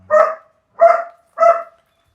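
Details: German Shepherd Dog puppy barking three times, each bark short and clear with a tonal edge, spaced roughly every 0.6 seconds, against a quiet background.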